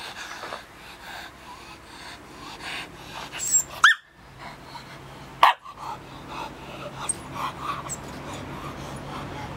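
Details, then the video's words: Ainu dog named Garo, in training to face a brown bear using a real bear paw: a few sharp barks near four and five and a half seconds among yips and whimpers, with rustling noise throughout. "アイヌ犬 牙狼 ヒグマの手 ainudog"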